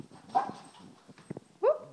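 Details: Pet dog, one of two household dogs named Teddy and Tyson, giving two short tonal whimpering yips, each sliding upward then falling, the second louder, over a quiet indoor background with faint rustling.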